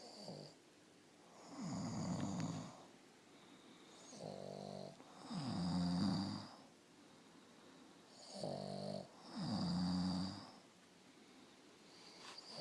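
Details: A Boston Terrier napping beside a man snores, the two trading low rasping breaths every few seconds.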